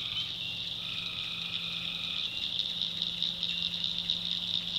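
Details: Night chorus of tree frogs in a swamp in the North Carolina backwoods. A continuous high-pitched shimmering drone runs throughout, and a single sustained trill rises out of it for about a second and a half.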